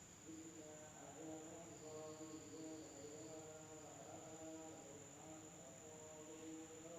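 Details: Night insects in a village in Indonesia: a steady high whine runs throughout, with overlapping pulsed trills and chirps in the low-middle range forming a dense continuous chorus.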